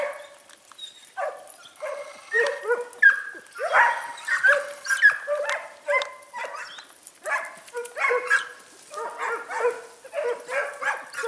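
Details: Segugio Italiano pack, Pelo Raso and Pelo Forte, chasing hare in Sofiko, Evros region of Greece, October 18, 2015; irregular, excited yelping bays repeated roughly every second, overlapping voices rising and falling.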